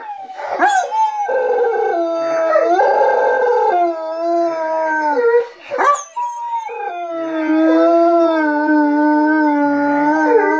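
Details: Several dogs join their people in a group howl indoors: layered, drawn-out howls at different pitches overlap, with a sharp yip near the start and a brief lull midway before the chorus swells again.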